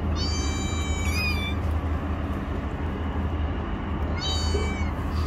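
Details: Kittens sheltering under rocks: two clear, drawn-out high-pitched mews, the first nearly a second long with a falling end, the second about three seconds later and shorter, over a constant low droning rumble.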